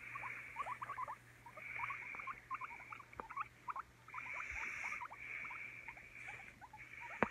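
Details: Guinea pig chirping: rapid little squeaks run throughout, joined by repeated second-long stretches of a higher buzzing whine, plus a few faint clicks.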